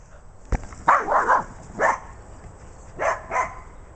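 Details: Two corgis, one tricolor and one sable, bark the whole way while chasing a ball, giving sharp, high barks in short bursts, some doubled, about a second apart; Corgi.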